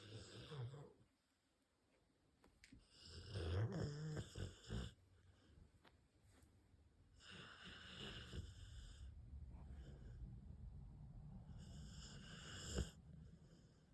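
A sleeping Rottweiler snores with deep, rumbling breaths, each one a long, rough, throaty pulse.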